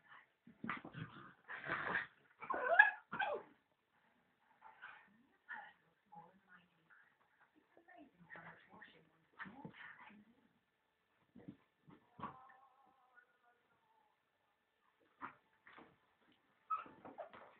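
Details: Miniature Schnauzer and Husky puppies Byron and Dagger tussling in play; a loud run of yips and rough growls at the start, then scattered short whines and yelps with quiet gaps and occasional speech.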